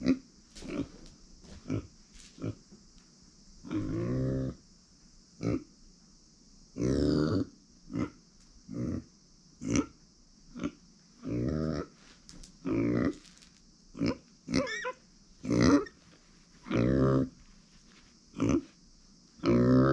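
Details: Pet female micro pig born in September 2020 grunting steadily, short low nasal grunts and longer drawn-out oinks about every second or two, some rising into squeaky tones, against a constant high electrical hum.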